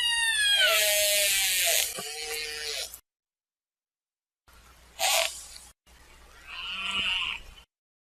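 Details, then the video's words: Killer whale call sequence: a long, loud, squealing call rich in harmonics that drops in pitch, then after silence a short broad burst followed by a buzzy, pulsing tone. "Killer Whale Sound"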